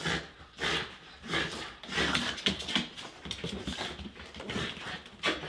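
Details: Mameshiba dog panting in quick breathy huffs, about one and a half per second, uneven in strength, with a soft hiss between breaths and no other clear sounds.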